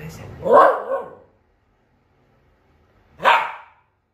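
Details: A Lhasa Apso, vocal because it wants to play, gives two short, harmonic barking yelps about three seconds apart. The first is drawn out and wavering, the second sharper, with silence between them.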